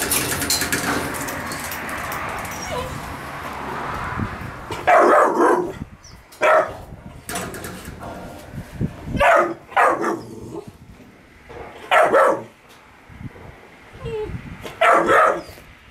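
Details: Kennel with puppies and Gunnar: a few seconds of rustling and shuffling, then a run of about seven loud, abrupt barks, spaced irregularly one to two seconds apart.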